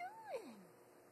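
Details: New kitten giving a single short meow that rises slightly, then slides steeply downward and fades within about half a second, in a quiet room.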